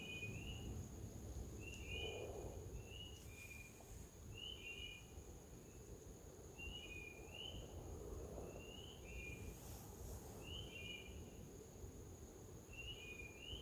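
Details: Spring peepers call in a chorus of high, short, rising peeps, repeated rapidly and overlapping, in a forest, over low rumbling background noise; they also make a trill sometimes confused with chorus frogs.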